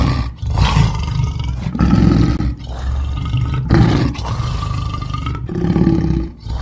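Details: African lion roaring in deep, rumbling bursts, each drawn-out groan separated by brief pauses, with low harmonic bands and a nasal upper tone gliding across the middle of each call.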